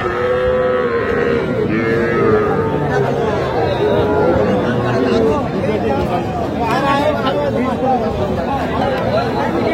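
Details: Small Sahiwal bull and heifer calves for sale at a Tangail cattle market, 7 July 2025; long, wavering moos overlap in the first half, then fade under busy market chatter and people haggling over prices.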